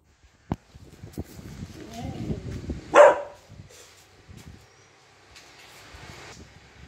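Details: A Saint Bernard puppy, after seeing a monkey, gives a single sharp, high bark over soft murmuring voices.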